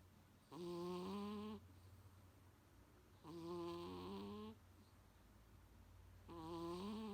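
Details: Munchkin cat named Coo-chan, a pet snoring loudly indoors like an old man; three long harmonic-rich snores, each about a second, roughly every three seconds, with steady low hum between breaths.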